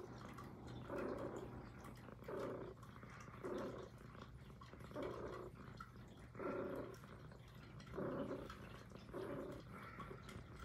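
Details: Puff, a little female Highland Lynx cat, purring in close ASMR audio; about seven throaty pulsing surges arrive every one to two seconds, each a grainy rumble, over a constant low electrical hum.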